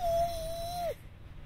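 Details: Clancy, a Keeshond dog, whining and whimpering on cue as a trick: one steady, high, tonal whine held for almost a second, ending in a short downward slide, followed by near silence indoors.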